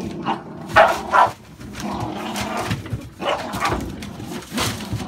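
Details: Indoor American Staffordshire Bully puppies, born 11/16/2017, give a pair of shrill, quick yelps about half a second apart, then fainter scattered barks and household noise.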